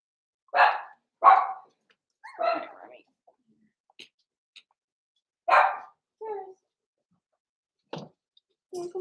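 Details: Blenheim Cavalier King Charles Spaniel puppies Roman and Blue, six weeks old, in an indoor puppy pen: several sharp yapping barks in a loose cluster, followed by softer whines and small yips.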